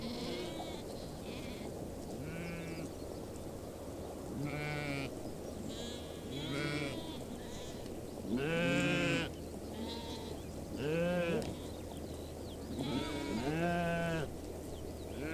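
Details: Several goats in a mixed flock with sheep on the steppe at Bayandelger, Tuv province, Mongolia, bleat in turn, wavering nasal cries rising and falling every few seconds.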